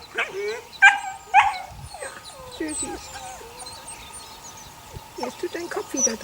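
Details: Eight-week-old puppies of the neighbour's dog Sunny, six in the litter: a few sharp high yips near the start, then softer scattered whines and squeaks over a steady faint background hum.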